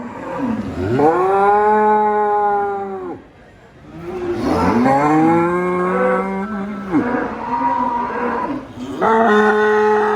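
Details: Cow lowing repeatedly: four sustained, resonant moos lasting two to three seconds each, the first rising then steady, later ones wavering, with brief pauses between them.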